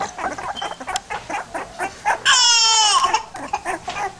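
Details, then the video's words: Pit bull puppies make soft, steady yips throughout, repeated about two or three times a second. Just past the midpoint comes one loud, drawn-out wailing cry that slides gradually downward. "cute pitbull puppies"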